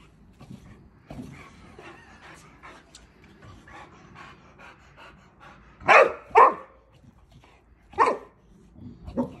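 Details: Millie, a Boxer dog, playing gently with a water balloon without popping it: soft panting and snuffling, then a pair of sharp barks in quick succession, followed by two more single barks spaced a couple of seconds apart.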